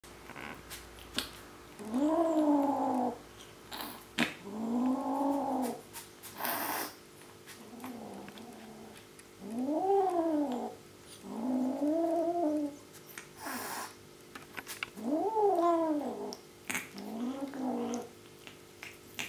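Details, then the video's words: Male Bengal kitten growling while eating his first raw meat and keeping it from his sisters. About seven drawn-out, rising-then-falling harmonic growls come roughly every two seconds, with short clicks and clatter between them, in a small indoor room. "Baby bengal kitty has his first raw meat - rawwwr"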